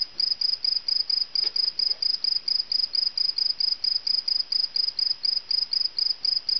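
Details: A cricket found inside a house chirps on and on: sharp, high, pulsed chirps at a quick steady pace of roughly two per second, a faint knock early on.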